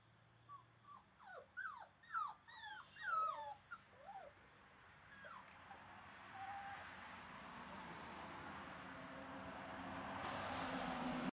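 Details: Male mahogany Boxer puppy playing on a porch: a quick run of high, squeaky whines and yelps falling in pitch over the first four seconds, then rising background rumble and a burst of broadband noise at the end.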